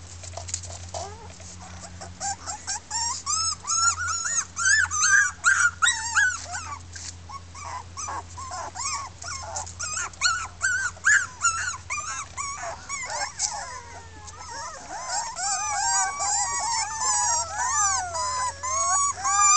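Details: Litter of six red female Miniature Pinscher puppies, Keltic Kennels 2013, loudly voicing discontent; a dense chorus of high, wavering whines and yelps, rapid and overlapping, some long sliding cries near the end, steady low hum underneath.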